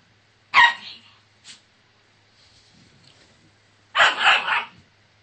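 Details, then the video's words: Bernese Mountain Dog puppy, two months old, letting out a sharp bright bark, a tiny click, quiet rustling, then a longer double bark; low hum in the background. "バーニーズマウンテンドッグ バーク２ヶ月"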